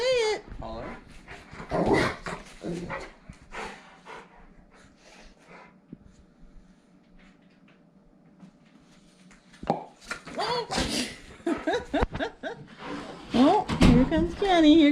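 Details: Rottweiler indoors reacting to a noise he dislikes, a dog that hates popping noises, playing with a boy: several loud barks and whimpers in bursts near the start and again toward the end, with a woman talking to him between them.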